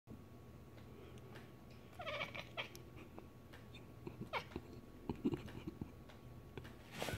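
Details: Domestic cat chuffing at birds just before pouncing: a few short, soft chirping bursts around the second mark, then scattered faint clicks and taps in a quiet room with low background hum.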